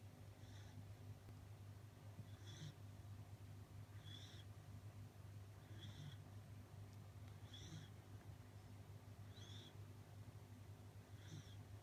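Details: A sleeping Corgi snoring softly, with faint hissy, raspy breaths repeating about every two seconds over a steady low hum.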